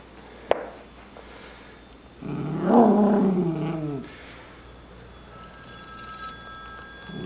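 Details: Miniature Schnauzer howling while playing with a puppet indoors. It gives one wavering howl of about two seconds, rising then easing off. A sharp click comes before it, and faint steady tones follow.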